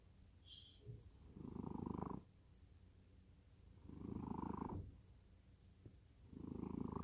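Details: Cat in deep sleep snoring: broad low rumbling bursts about a second long, recurring roughly every two and a half seconds with quiet gaps between, faint high hiss alongside each breath.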